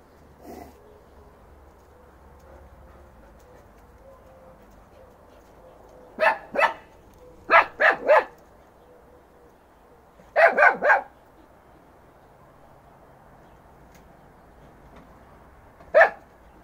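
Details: Three-month-old Fox Terrier puppy Dobby charging Gretta, a female Alabai aged two and a half, in a yard; short sharp barks come in quick bursts of two or three, separated by quiet gaps, with a final single bark.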